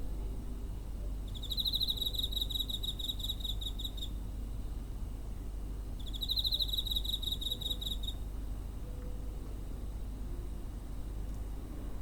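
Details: Cricket chirping near a home, recorded 7 September 2023 on a handheld recorder: two long pulsed trill bursts, each near three seconds, separated by a quiet gap, over constant low-pitched background rumble.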